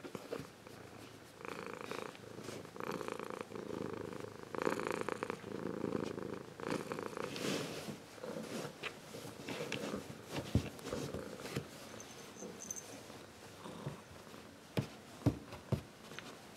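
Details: Zeus, a Ragdoll cat grown from a kitten, purrs warmly and steadily, a low rhythmic rumble rising and falling with each breath.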